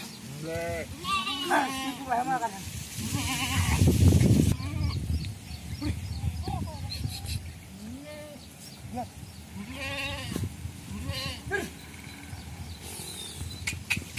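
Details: Sheep in traditional Indian shepherd farming, bleating loudly and often: wavering, quavering bleats overlap one another, with a burst of rustling noise partway through and human voices in the background.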